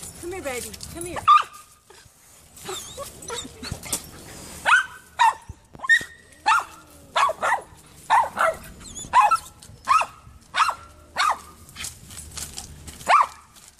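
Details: Poodle Gracie barks insistently from a neighbor's tree, trying to reach Allie the cat: brief speech, then a long run of evenly spaced, sharp barks roughly every second.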